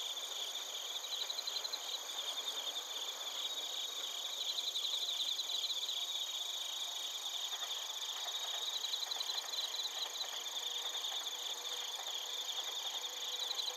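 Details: Bell crickets and field crickets chirping in Narita, Chiba Prefecture, Japan, recorded on a TASCAM Portacapture X8. Dense, rapid pulsing trills overlap steadily, with brighter bursts near five and nine seconds and high continuous insect tones behind.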